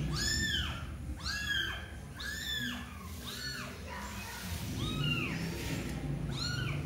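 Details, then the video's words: Mother cat beside her kitten, not wanting it to play for long; several arching meows in quick succession, then a softer pause and one more meow, over low background rumble. "ibu kucing tidak ingin anaknya bermain kelamaan dia ingin selalu menyentuhnya"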